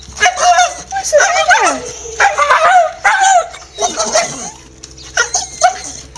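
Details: A Staffordshire Bull Terrier, one of several excited dogs, greets its owner home from work in the evening with a run of yowling, whining 'talk' and short barks, hyped because its evening walk is near.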